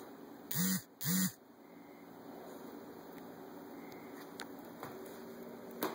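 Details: A loud tree frog gives two low, nasal, honking croaks in quick succession, each about a third of a second long. Quiet background follows, with a few faint clicks.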